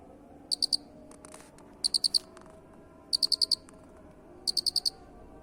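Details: Masteran of an unusual cricket: four crisp, high pulsed chirps of three to five beats each, about every one and a third seconds, with faint clicks between them and a low background hiss.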